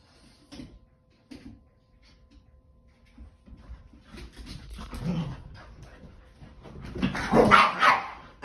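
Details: Boston Terrier and Keeshond playing a game of tug: scattered soft grumbles and short yips that build into loud, rough, snarling growls near the end.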